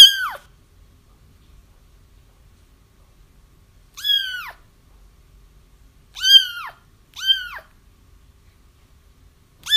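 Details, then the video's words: Crying kittens, a sound meant to lure a feral mother cat into a trap; loud, bright mews with a rising-then-falling arc, spaced irregularly with one quick pair near the end, no other sounds. "Kittens Crying"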